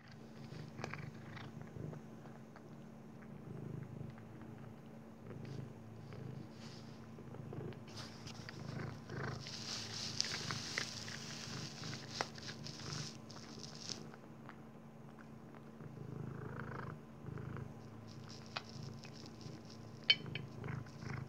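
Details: A Maine Coon cat purrs in a low, steady rumble while crunching dry kibble.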